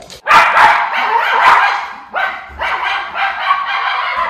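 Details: Levi, a Miniature Schnauzer watching for crows in Aroostook County, Maine, in late August 2021, barks in a rough, sustained burst. A second run of harsher barks follows after a short dip.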